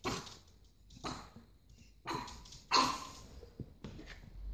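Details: Young pug barking: five brief, rough, breathy yaps spaced about a second apart, the fourth loudest, with faint snuffling and room noise between them.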